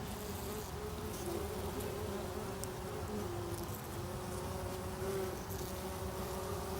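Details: Inside a bumblebee nest, bumblebees give a steady, droning buzz of several overlapping hums that waver slightly in pitch.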